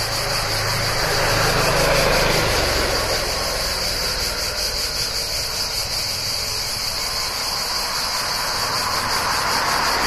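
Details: Cicadas keep up a steady, high, shimmering buzz near a town in summer while a car rumbles past early on.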